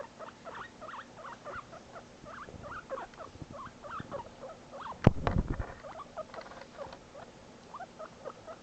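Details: Guinea pig Shinobi, newly adopted, squeaking repeatedly after being separated from his buddy Barbock: dense, rapid upswept squeaks over a low rumble, broken by a loud clatter of handling noise midway.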